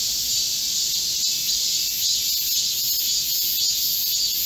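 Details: Midsummer chorus of Korean cicadas in a green forest, recorded 25 July 2024 amid a heatwave: a thick, even, high-pitched shrilling, with a single sharp click early on.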